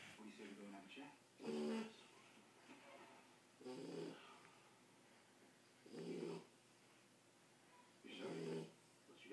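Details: Ten-week-old Shar Pei puppy asleep and snoring, low rasping snore bursts rising and fading roughly every two seconds, with soft breathing between them in a quiet room.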